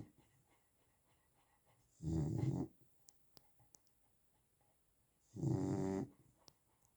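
Low, rattling snores come from a Chow Chow, each breath a coarse rumble of about half a second. They repeat roughly every three seconds in a quiet room, with a few faint clicks between.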